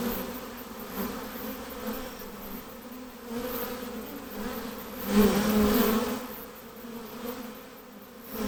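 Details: Western honey bees (Apis mellifera) buzz near their hive: a steady, dense low hum of many wings swelling and fading.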